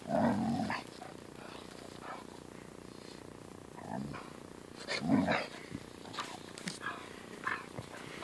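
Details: Siberian Husky, angry while a German Shepherd puppy plays with it, letting out a loud harmonic grumbling growl at the start and another near five seconds, with soft scuffling between the outbursts.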